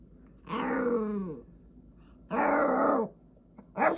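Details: Roxie, a Jack Russell Terrier, making cute noises because she wants to play with her brother: drawn-out, wavering groaning whines, each about a second long, sliding downward, with a short yelp at the end.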